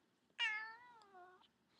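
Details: Female domestic cat lying in a baby cradle indoors gives a single clear meow, a sharp onset then a long, slightly falling tone lasting about a second, in a quiet small room.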